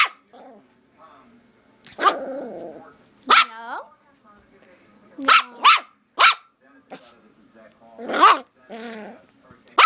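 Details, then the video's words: Nine-week-old Rat Terrier puppy barking: sharp, high yaps in bursts, some paired, scattered across the recording, with a person's voice between them repeatedly telling it to stop. "Rat Terrier Puppy Barking"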